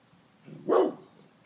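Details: A dog freaking out and barking like crazy while smelling something and being urged to find a rat: one single loud, harsh bark, short and rough, against a quiet background.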